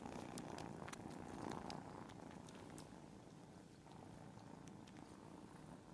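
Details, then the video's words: Cats purring en masse form a steady, throbbing low hum, pulsing a few times per second, with light scattered clicks in a quiet room. "Mass purring."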